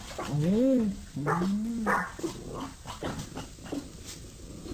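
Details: Chow Chow, one of six dogs together: two arching, wavering whines that rise and fall over about a second each, then fainter yips, with a person talking nearby.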